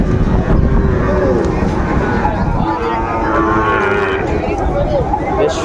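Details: Lowing of Sahiwal-breed bull calves at Ambari market in Dinajpur, Bangladesh, on 27 May 2024. Two moderate, wavering moos in the middle stretch, partly buried under loud human conversation and general marketplace hubbub.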